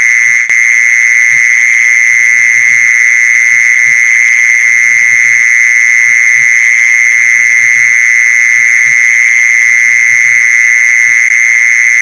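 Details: A mole cricket call for attracting mole crickets: a constant high buzzing drone, perfectly even throughout, with a sharp click near the start and faint low thumps in the background.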